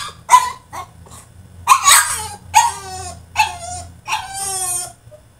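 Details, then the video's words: French Bulldog throwing a tantrum in his cage, with a rapid run of sharp yelping barks and harmonic whines, about six bursts in five seconds, ending in a longer wavering whine; low hum beneath. "FRENCH BULLDOG THROWS TANTRUM IN HIS CAGE!!"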